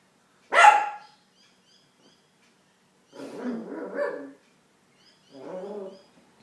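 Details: Chip, a dog confronting his reflection, lets out one loud sharp bark, then after a pause two low, rough growling grumbles with a nasal, moaning quality; otherwise quiet indoors.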